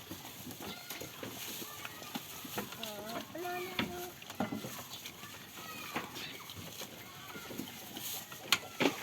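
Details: Farm goats playing and feeding. A tremulous, wobbling bleat rises and falls around the third and fourth seconds, with chewing-like clicks, knocks and general barnyard clatter throughout.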